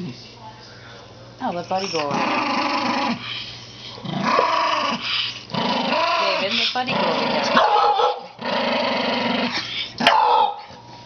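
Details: Elderly Toy Poodle, said to be going senile, makes a run of grumbling growls. The moaning, harmonic rumbles come in bouts of one to two seconds with quiet breaks between them, in a small room.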